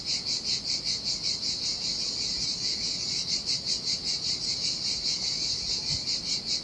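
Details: Summer cicada chorus at a desolate Sardinian beach: a bright, sizzling, high buzz in regular pulses, slightly uneven midway, over a steady low roar of waves washing over sand.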